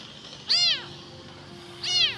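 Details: A lone abandoned kitten, found in a rubbish dump and possibly hungry, thirsty and searching for its mother, gives two high, thin meows that rise and fall, about a second and a half apart.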